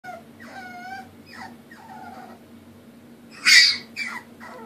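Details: Puppy crying because it needs help going up the stairs: a series of thin, high, whistly whimpers that slide downward, each under half a second, with a louder breathy squeal near the end over a faint steady hum.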